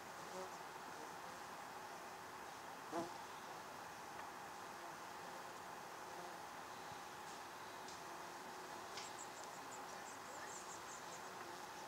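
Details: Australian native bees at a log hive in Ipswich, Queensland, during early morning activity: a steady, dense, low buzzing hum with no clear pauses, and a few brief faint high ticks and clicks.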